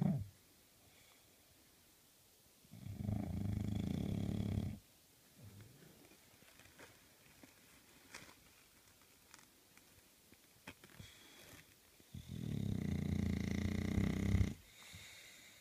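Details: A puppy English bulldog snores with deep, rumbling breaths, each lasting about two seconds, with quiet pauses between.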